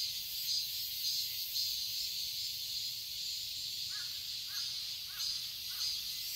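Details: Cicadas in a garden in Seoul, Korea, on a summer day, 2021: a dense, steady high-pitched buzzing chorus with gentle pulsing throughout, joined in the second half by four short, harsh calls from another bird spaced about half a second apart.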